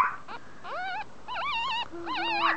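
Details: Chihuahua at a pet shop in Kobe, Japan, giving high, wavering whimpering whines, about four drawn-out calls that rise and dip in pitch, with a steady low hum near the end.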